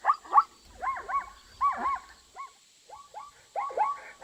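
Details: Zebra giving loud, rising-then-falling yelping barks, singly and in pairs, with short gaps. A soft low rumble sits underneath and a thin constant high tone hums in the background.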